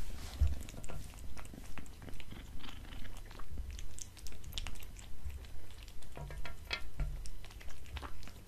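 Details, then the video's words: A pet cat eating dried fish, creamy treats and cat food from a glass table indoors; rhythmic chewing and crunching about twice a second, with soft clicks of bites. "Cat eating Fish Treats & Food ASMR"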